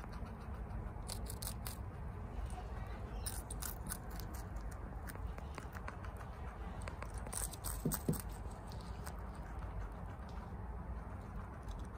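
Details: Female guinea pig Chia munching bok choy quickly at home, with frequent sharp crunchy snaps in clusters, a small soft squeak near the eighth second, and a constant low droning hum underneath.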